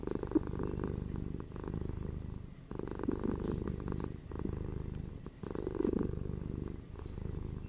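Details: Indoor pet cats, one a ginger male and one female, purring close up: a continuous low buzzing rumble that swells and fades with each breath, about three phases in under eight seconds.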